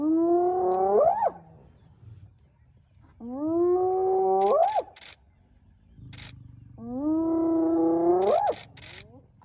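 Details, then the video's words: Spotted hyenas of a wild clan mobbing a young male lion, the Nkuhuma male, early morning at Elephant Plains, northern Sabi Sands, South Africa: three long tonal calls, each holding steady then sweeping sharply upward, spaced about three seconds apart, with faint clicks between. "Hyena clan mobbing a young male lion"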